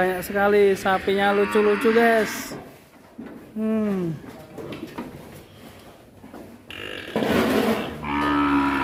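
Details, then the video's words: At Duta Farm 61 in Kuningan, West Java, Indonesia, an angry young bull with a massive neck bellows in its pen: a burst of clustered moos, a lone arched moo, then a noisy bellow mixed with handling sounds. "SAPI LEHER BETON NGAMUK DI KANDANG"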